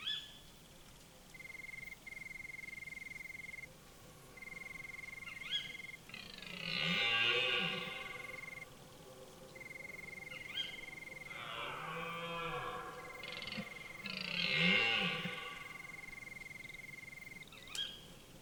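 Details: Red deer stag in rut, its hoarse, powerful bellow ringing through a forest at the start of autumn: two drawn-out roaring bouts with arching harmonics, set against a steady, high, intermittent whine and a quiet woodland background.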